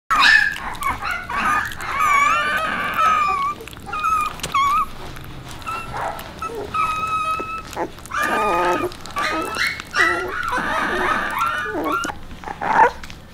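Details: Puppies with Bek, a dog, whimpering and whining in high wavering tones that rise and fall over the whole stretch, with some short yips and a little human speech in the background.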